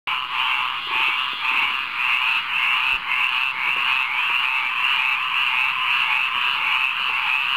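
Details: Frogs singing together in a rainwater pond at midnight: a dense, continuous chorus of rapid pulsed croaks, about two per second, steady and unbroken, with no other sounds standing out.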